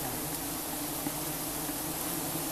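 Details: Giant honey bees buzzing during a honey harvest in rural Cambodia: a dense, steady low hum with a faint tonal band, continuous and unbroken throughout, over a hissy background.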